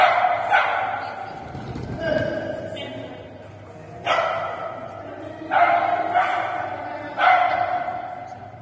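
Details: Shetland Sheepdog named Sammy running a JoA agility jumping course on 25 July 2020. Loud, ringing barks repeat every second or so over a steady background hum and human voices.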